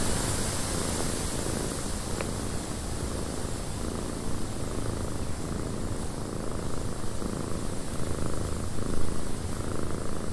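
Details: Purring domestic cat in a cabin during windy weather. A low, even rumble continues throughout, with a steady airy wind hiss overhead and a faint click near two seconds.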